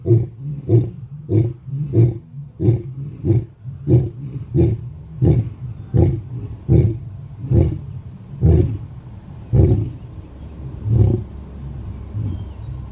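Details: Lion roaring in the morning: a series of deep, low grunting roars, about fifteen pulses repeated roughly every half second to second, each a booming low burst with faint harmonics, slowly spacing out toward the end.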